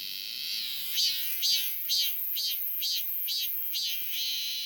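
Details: Robust cicada in summer giving a high, buzzy, pulsing song, each pulse swelling and fading roughly twice a second over a continuous insect drone.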